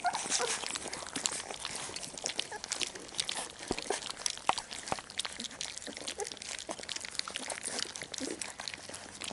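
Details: Nine Labrador Retriever puppies of one litter smack and slurp as they eat. A dense, continuous patter of wet clicks and crunches overlaps without pause.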